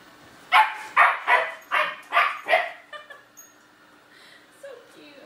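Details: German Shepherd puppy scared by a robotic vacuum, indoors; six sharp barks in quick succession, about two per second, then quiet with a faint whine and a person's voice.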